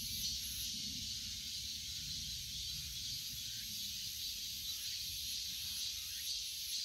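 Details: Continuous shrill droning of cicadas, high and even, with slight rhythmic pulsing in the upper register throughout.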